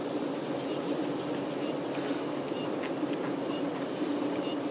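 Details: Honey bee workers caring for the queen keep up a constant deep hum, an even low drone throughout, overlaid by faint rhythmic high-pitched chirping.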